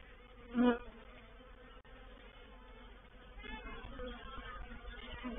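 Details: At Painted Peacock Manor on 04/07/21, a honey bee reproductive swarm enters a bait hive: a soft background hum, a single bee roaring past close up early on, then the buzzing swelling louder toward the end.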